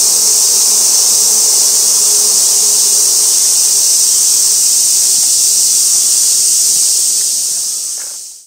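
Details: Continuous shrill cicada drone from Gaikotsu-yama, Japan, on 2 August 2024, near an old sawtooth oak, fixed camera; the steady high buzz holds level, then fades out at the very end.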